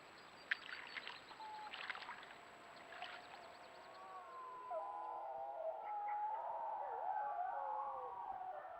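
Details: Yukon wolves caught on a trail cam: crackling rustle at first, then a group of wolves joins in wavering, overlapping howls that swell and bend in pitch through the second half.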